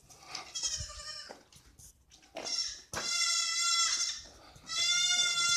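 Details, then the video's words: Goats crying in a village, several harmonic bleats with strong upper harmonics, the loudest two near the end, after a quieter start with a fainter bleat and brief low rumbles. "you will hear goats crying"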